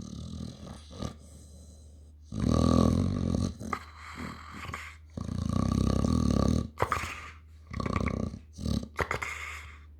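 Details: Dog snoring loudly with two long, rasping, rattling breaths about three seconds apart, then shorter snorts, over a steady background hum.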